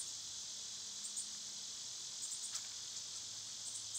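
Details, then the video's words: Steady summer cicada hiss fills the high range, softer here, with tiny very high bird squeaks scattered across it and a single sharp click midway. "Cicada sounds"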